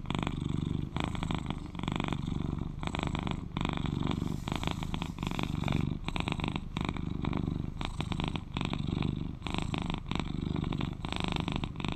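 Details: Male British Shorthair cat aged 11 purring contentedly, a thick low rumble pulsing regularly in inhale-exhale cycles of under two seconds, sustained throughout with nothing else audible.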